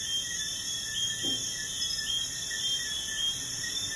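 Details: A dense chorus of crickets at night beside a busy highway gives steady, high, shimmering trills that blend into a continuous drone.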